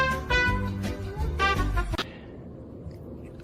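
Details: Swinging brass-band music with bright horn chords and a steady beat plays for two seconds, then cuts off abruptly to a low, quiet room hum.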